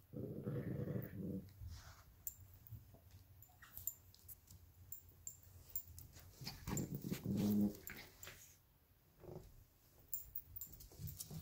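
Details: Two cross-bred dogs, Luigi, a 12-week-old Alaskan Klee Kai and Pomeranian puppy, and Pooki, a 7-year-old American Eskimo and Chihuahua, squabble over a toy fox. Gravelly growls are broken by whiny yips and quick snarls, with light clicks in between.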